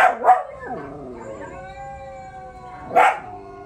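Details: Young pups howl in response to a dog howl challenge: a sustained, wavering, harmonic howl lasting about two seconds, with a sharp yip at the start and another short yelp near the end.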